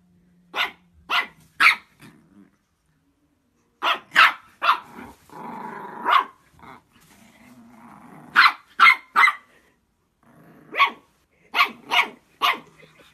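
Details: Shih Tzu puppies yap in sharp, high bursts, mixed with low growls and grumbles, as they play-fight and bark at each other.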